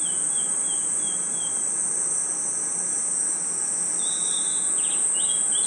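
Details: Forest crickets at night keep up a constant, piercing high trill without pause; soft, lower bird whistles and short chirps come briefly at the start and again toward the end over a gentle background hiss.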